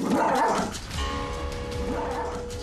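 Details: A poodle, dominant and aggressive towards its family at home, gives sharp, yappy barks at the start while steady background music plays.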